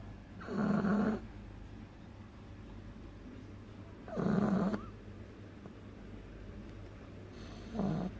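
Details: Loud snoring from Agatha, a sleeping beagle puppy aged two months. Three raspy, droning inhalation snores, each about a second long, recur roughly every three and a half seconds over a quiet low hum.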